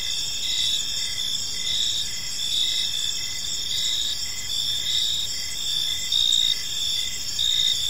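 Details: Evening park ambience dominated by chirping crickets: layered high continuous trills with a lower, evenly pulsed chirp repeating about twice a second. Occasional slight swells in volume occur toward the end.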